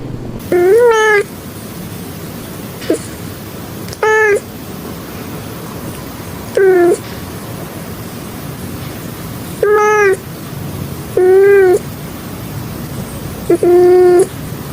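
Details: Domestic cat with a voice deeper than most cats, giving weird, funny meows: six drawn-out, nasal, harmonic-rich meows, each about half a second long and spaced a few seconds apart, over a low background hum.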